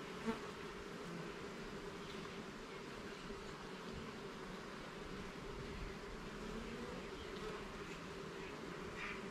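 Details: Honey bees in a garden hive during an inspection of its levels and frames, a steady, dense buzzing hum of many bees throughout, low and even in loudness, with faint scattered higher tones above the drone.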